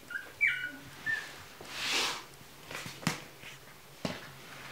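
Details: Chihuahua puppies at a kennel, giving a few short, high, thin whimpering squeaks in the first second, followed by soft broadband rustling, bumps and handling noises indoors.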